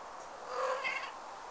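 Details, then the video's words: Abyssinian cat at a breeder's, just after mating, still smitten with the female: a single short wavering meow, tonal and slightly falling, lasting under a second against quiet room background. "Abyssinian Cats Mating"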